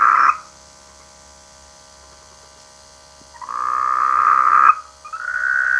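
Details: Frog croaking in rice fields during the rainy season: a brief croak, about three seconds of near silence, then a long rattling croak followed by a second, slightly higher one.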